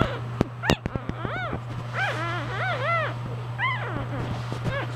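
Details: Newborn English bulldog puppies from a litter of four, three surviving, give high, arched, harmonic squeals and whines in quick irregular bursts, mixed with sharp clicks and a steady low electrical hum.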